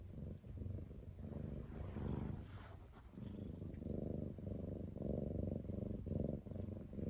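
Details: A ten-month-old male British Shorthair cat on a diet, rumbling in a low, steady, pulsed drone that swells and fades in breaths of about a second, with no other clear sounds.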